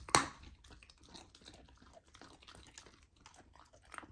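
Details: Golden retriever puppy eating raw lamb for the first time; a loud crunching bite opens, followed by softer, scattered chewing and small wet clicks.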